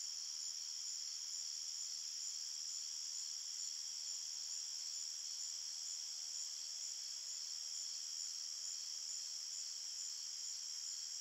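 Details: Crickets in a forest after dark keep up a long, uniform chorus of high-pitched shimmering trills that never pauses, the only sound present.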